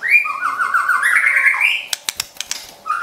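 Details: White-rumped shama kept as a pet, song used to provoke and train other shamas: long warbling whistle rising from low to high over one and a half seconds, followed by several sharp clicks and a short closing whistle.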